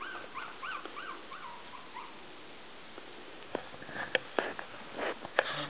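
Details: Five Maltese puppies about three weeks old, tumbling together indoors while learning to play and crawl; a few short rising-falling squeaky whimpers near the start, then quiet rustling and sharp clicking knocks toward the end.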